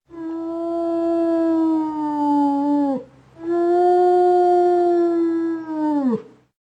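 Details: Wolf howling in an animal identification game: two long, smooth, clear howls, each about three seconds long, holding a steady pitch and then sliding downward at the end, with a short gap between them.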